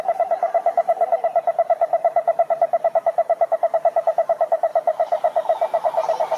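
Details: Cururu toads (Rhinella marina) at a lake in Curitiba, Brazil, give a steady, low pulsed trill, the rapid notes running together without pause.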